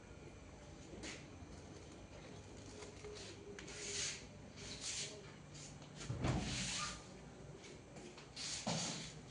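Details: Quiet indoor room tone with scattered knocks and scrapes, like a cupboard or sliding door opening and closing, over a low steady hum.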